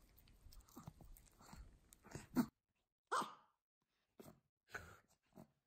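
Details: A black-and-tan Pomeranian eating sweet potato, its favourite food, gives short, breathy nasal snorts between wet chewing and crunching noises.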